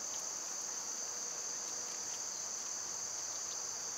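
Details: Continuous high-pitched droning of summer cicadas, a dense even hiss that never breaks or changes in rhythm, with faint scattered ticks beneath it.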